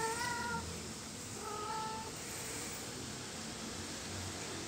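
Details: Playing kittens in plant pots give two short, thin meows close together near the start, then only a quiet steady hiss remains.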